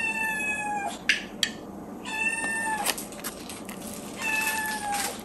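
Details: Miyu, a four-month-old female kitten, meowing during her morning routine while breakfast is prepared; three drawn-out, harmonic-rich meows, each about a second long, level then slightly falling, with clicks and kitchen clatter between them.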